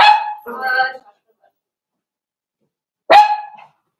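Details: Blenheim Cavalier King Charles Spaniel puppies from a litter of five born at New Year, kept in an indoor puppy pen, give a high tonal whine, a short wavering yelp, then after a pause one more sharp whining cry.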